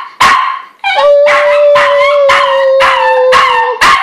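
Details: One dog delivers rapid, harsh barks roughly every half second while a long, steady, low whining tone is held beneath them for nearly three seconds, giving a crying, singing quality.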